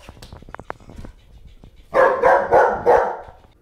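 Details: German Shepherd named Bear playing with a floppy fish toy indoors; a run of four loud, harsh barks in quick succession during the second half, after quieter clicks and shuffling, with a person talking to the dog nearby.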